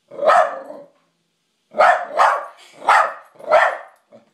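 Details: Charlie, a pet dog, barks at his own reflection in a mirror at night as if at an intruder: one bark, a pause, then four loud harsh barks in quick succession, each slightly drawn out.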